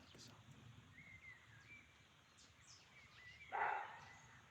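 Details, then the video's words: Roe deer in the forests of Chaumien, France, one short, gruff bark near the end, possibly a territorial or mating sound, preceded by thin whistled bird notes and light chirps in a still woodland. "Roe Deer Sound in Chaumien, France (Mystery Forest Sound)"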